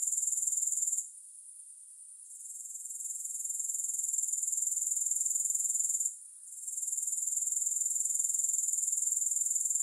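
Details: Grasshoppers' shrill pulsed trill, no music, cuts out after a second, gradually swells back, pauses again briefly, then resumes steady and high.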